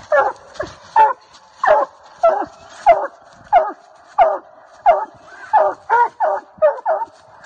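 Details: A Treeing Walker Coonhound on a coon hunt in South Carolina barks steadily at the tree, loud chopping barks about every half second.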